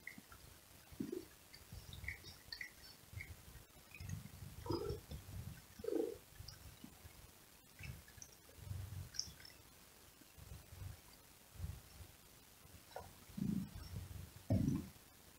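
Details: Cat grooming and cleaning itself: soft, wet licking and rasping strokes come in irregular low bursts about every second, close and intimate, with faint clicks and a quiet hiss behind.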